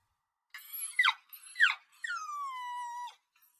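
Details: Puppy crying: two short, sharp whimpers that slide steeply downward, then a longer, thin whine that falls slightly and holds steady for about a second before stopping, with a quiet background.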